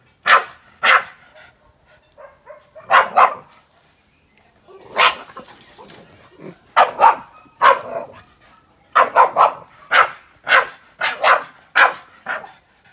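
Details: Boston Terrier Yoda barking at grill fire, sharp yappy barks in doubled and tripled bursts, with one longer, rougher bark-growl near the middle and a dense run of barks toward the end.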